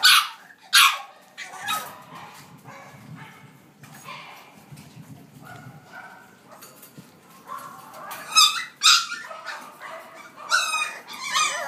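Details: Female French Bulldog puppy born on 14 July, described as sturdily built, giving scattered high-pitched yips and whimpers in short bursts, with quieter stretches and soft low rustling in between.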